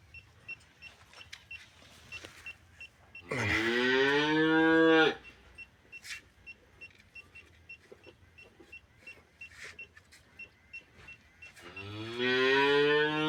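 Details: Cattle at a veterinary treatment to remove metal objects from the stomach, giving two loud, drawn-out moos about eight seconds apart, each sliding upward then holding; soft rhythmic tapping and clatter fill the gaps.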